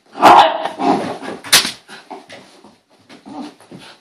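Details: Bailey, a female dog in a hyper moment indoors, gives a sharp high bark followed by a string of softer yips and grumbly whimpering sounds over a few seconds.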